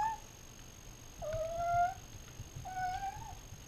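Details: Night-time meowing from house cats Sleater and Cosmo in Fairfield, 2014, captured with a GoPro Hero 3: a clipped call, then two drawn-out, level, fairly soft meows about a second apart against steady low background hum.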